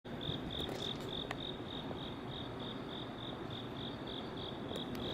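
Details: Crickets at night on a quiet roadside in South Korea in September 2019, giving a steady high pulsed trill repeated about three times a second over constant low traffic rumble.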